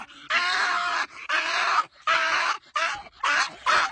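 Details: A pet dog making weird sounds indoors: six hoarse, groan-like voiced bursts, each about half a second long, separated by short silences.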